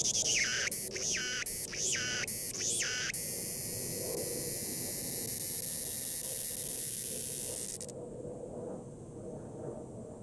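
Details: Cicada crying, found at Cheongpung Myeongwol: loud pulsed bursts for about three seconds, then a continuous high buzz that cuts off abruptly near eight seconds, leaving a steady high tone.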